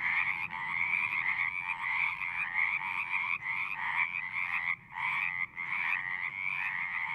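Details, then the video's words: Pond frogs in a horse pasture, recorded on a Zoom: a pulsing chorus of trilled calls that swells and breaks, with two short near-silent gaps near the five-second mark. "Frogs singing"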